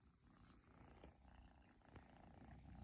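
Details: Persian kitten, long-haired chinchilla type, purring nonstop after its owner finally came home, in Japan; low continuous rumbling purr with faint rustling and soft clicks over a quiet indoor background.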